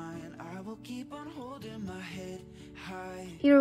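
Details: Soft background music with a plucked guitar and a sung melody, ending in a brief louder tone; no animal sounds.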